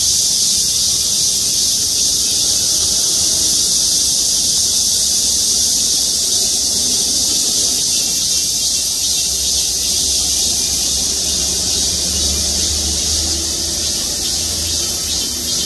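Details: Cicadas chorusing from trees in the parking lot of Gwangmyeong City Hall: a dense, unbroken shrill buzzing hiss held at full strength throughout, with a faint low rumble underneath.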